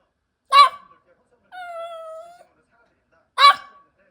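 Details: Haeri, a sixteen-year-old senior dog, gives a sharp short bark, then a drawn-out level whine of about a second, then another abrupt bark, all against a silent indoor background.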